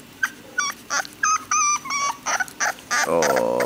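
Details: Male English Bulldog puppy whimpering while being filmed indoors in a living room: a string of short, high, tonal whines in quick bursts, followed by a longer falling whine, with a man speaking nearby.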